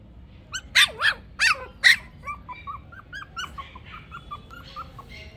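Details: Toy Pomeranian puppies, male and female, let out four loud, high, harmonic yelps within the first two seconds, followed by a long run of soft, short whimpers, each rising and falling, coming several times a second.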